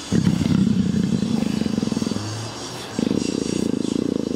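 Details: A female leopard in heat, being petted and having her back scratched, purrs in a deep, steady, engine-like rumble, pulsing rapidly and almost without pause; a male leopard is nearby.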